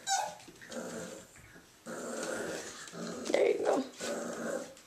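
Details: Play-growling from male Irish Jack Russell Terrier puppies Mushroom, Portobello and Patty, a steady, gritty rumble that rises in louder surges, mixed with a woman's voice talking to them.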